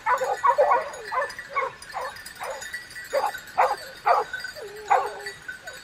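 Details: Hunting dogs giving spaced, hoarse barks roughly every half second, some trailing into a short whine, over faint background hiss.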